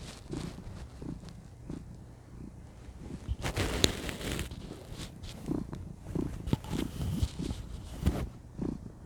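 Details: Cuddled female cat purring contentedly, a low pulsing rumble partly masked by frequent rustling and movement noises across the recording.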